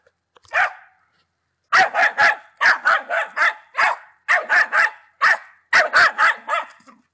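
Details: Ten-month-old Patterdale Terrier, a Czech dog, barking in sharp repeated bursts, mostly in quick pairs and triplets with short pauses between groups, after one lone opening bark; no other sounds.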